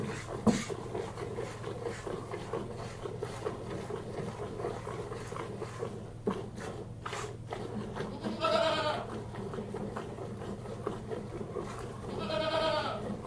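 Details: A single goat being hand milked gives two short wavering bleats near the end, set against steady rhythmic milking noise and low background hum.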